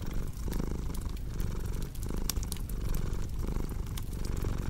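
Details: Domestic cat purring in a steady low rumble that swells and eases with each breath, under a second per cycle, while a fireplace crackles with sharp pops and snaps throughout.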